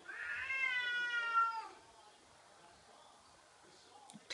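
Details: Domestic cat indoors confronting a cat-shaped balloon, giving one long harmonic meow that slides slightly downward over about a second, then quiet room tone with a faint click at the end.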